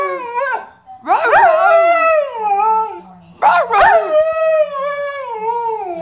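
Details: A Siberian Husky sings along with a person, giving two long, wavering howls that rise sharply, then slide slowly downward.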